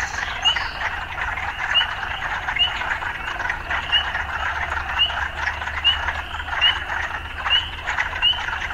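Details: Frogs calling in an urban setting: a dense, steady chorus of rasping croaks with short upswept chirps repeating about every second, over a low constant hum.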